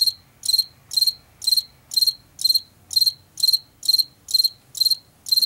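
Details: Chirping field cricket from Washington: crisp high trilled chirps repeated about twice a second in a steady rhythm, little else audible besides a soft low hum.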